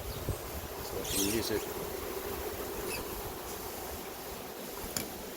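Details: A honey bee swarm in progress near an apiary gives a constant mid-pitched droning buzz. A brief brighter rustling burst comes just after one second, with a few sharp clicks later, over soft outdoor noise.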